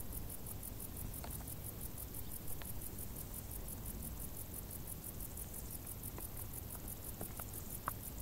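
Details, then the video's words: Crickets sing in tall summer grass, their thin, metallic pulses steadily repeating around four times a second, while occasional tiny ticks and a continuous low background murmur sit beneath. "Grilli | suoni dall'erba alta"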